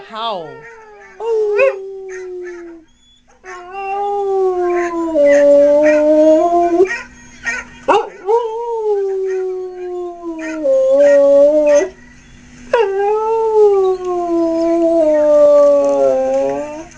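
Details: Pet dog howling in response to a recording of two dogs in distress stranded in a canoe; long sustained howls with wavering, falling pitch, broken by short gaps, with music and a woman's encouraging voice alongside.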